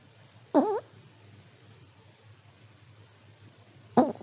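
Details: Elderly Pomeranian asleep indoors, snoring: two short harmonic snorts about three and a half seconds apart, separated by quiet low hum.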